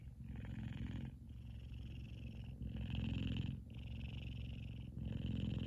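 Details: F2 Savannah cat Kumba, a male, purring loudly while asleep and twitching indoors; a steady low rumble alternates between breathing phases roughly every second and a half, with a faint higher hiss during each in-breath.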